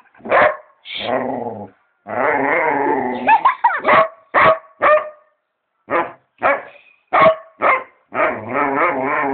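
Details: Dog. A dog gives a run of quick, punchy barks broken up by longer, wavering groans and whine-like grumbles. The barks come irregularly, about two a second at their fastest.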